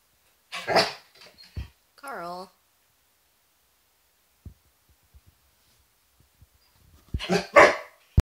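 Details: A male Border Collie barks indoors at sunlight and shadows on a wall. One loud bark opens, a person speaks, then a quiet pause with faint taps, and a double bark closes.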